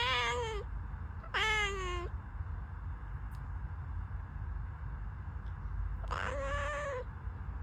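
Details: House cat giving three loud meows, the first two close together and falling in pitch, then a pause before a wavering third meow, with low background hum between calls.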